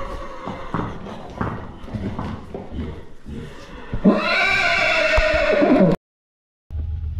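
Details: Arabian horse whinnying: a loud, shaky, harmonic cry from about four seconds, sliding downward and ending abruptly near six seconds, preceded by clip-clopping hoof beats and thuds.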